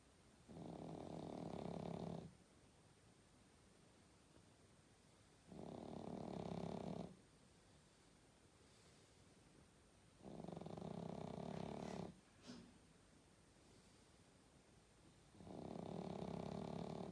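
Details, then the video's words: A sleeping pug snores indoors: four rough, rasping snores, each about two seconds long and spaced roughly every five seconds, with a short snort between the third and fourth; quiet room otherwise. "Как храпит мопс"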